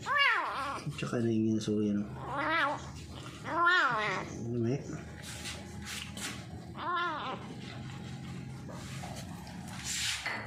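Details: Feral cat kept as a new pet, making odd noises while eating: a series of loud, wavering, drawn-out meows and moaning yowls, several rising then falling, with a human voice and household hum in the background.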